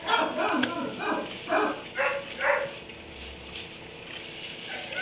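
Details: Dog barking from its kennel in a barn at 3am; a quick cluster of rough barks early on, then quieter, with steady low background noise.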